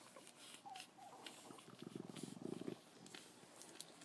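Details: Frenchton puppy asleep indoors in a dimly lit room. A brief thin whine comes early, followed by quick pulsed snuffling grunts, all faint against background hiss.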